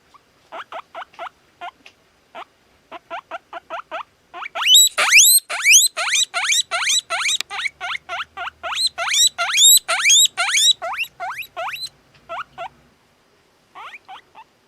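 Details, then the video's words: A very sociable two-month-old satin male guinea pig whistles: soft short chirps at first, then loud rising wheeks sweeping sharply upward, fired in a fast series of about two per second, then a pause and a few faint closing notes. "Как свистит морская свинка"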